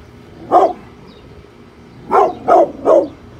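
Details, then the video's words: Brindle Pit Bull named Bullet guarding the house against construction workers outside, giving four short, gruff barks: one lone bark, a pause of about a second and a half, then three quick barks in a row. "brindle pitbull protection dogg !!! scary growling and barking"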